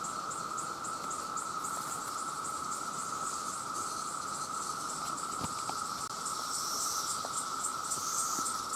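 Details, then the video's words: Millions of male cicadas calling to attract mates in a very loud chorus: an unbroken, steady mid-pitched droning whine, overlaid by faint rapid high pulses that repeat evenly throughout. "The Sound of The Cicada"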